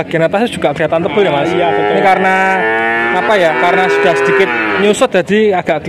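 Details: Young male calves, around half a year old, in Grabag, Magelang regency, Indonesia: a dense layer of overlapping moos with sharp clicks and knocks throughout and a long, drawn-out bellow through the middle.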